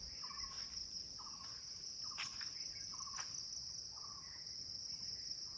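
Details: Crickets shrilling nonstop at 10 in the morning at a guest house in Kulaura, Moulvibazar, while a bird repeats a short, clear, slightly falling whistled note about once a second.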